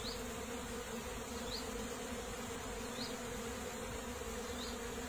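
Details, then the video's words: Continuous soft drone of bees, an even low hum with stacked tones, while small high-pitched chirps recur roughly every second and a half behind it. "The natural bee's sounds"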